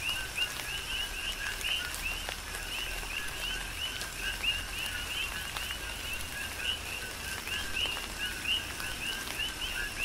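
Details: Coqui frogs on the Big Island of Hawaii call through a tropical rain shower, each giving a short low note and a higher upward chirp. The calls overlap into a pulsing chorus, with rain pattering in the background.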